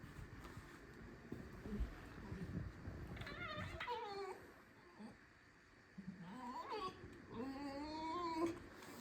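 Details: A pet fox squeaks in a kitchen, complaining about life. Quiet rustling leads into short wavering nasal squeaks, then after a pause a rising whine and a run of quavering, overtone-rich squeaks, with a man talking to it.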